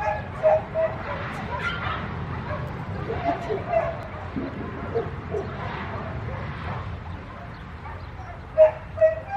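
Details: Puppy giving a few short, high, squeaky yips spread through the recording, loudest near the start and two sharp ones near the end, over constant background murmur and people speaking Korean.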